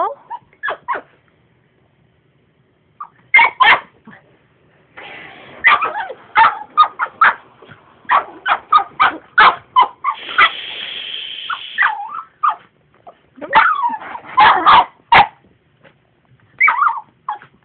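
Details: Pet dog barking at a vacuum cleaner it dislikes: sharp barks and yips in irregular bursts, with whines between, alongside the steady drone of the running vacuum cleaner; silent gaps between bursts.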